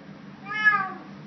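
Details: Woodlands cat, eating, recorded 06/07/2012: a single clear, tonal meow that swells and fades within half a second, over a low constant room hum; a woman speaks to it softly around it.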